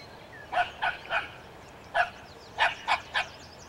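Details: Dog barking at a skunk, barks coming in a run of three, a single bark, then another run of three.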